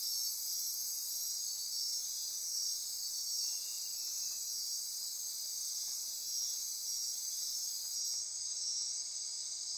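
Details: Midnight insect chorus in Costa Rican rainforest near Corcovado National Park, Osa Peninsula: a dense, steady high-pitched wall of buzzing and trilling that holds unbroken, with a slight shift in the highest tones near the end.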